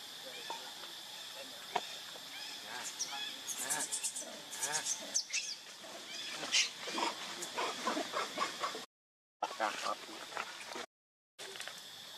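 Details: Baby monkey Leo, hungry, crying and begging its mother for milk. A burst of high, arching, wavering cries in the middle, over a steady background hiss, with two brief silent gaps near the end.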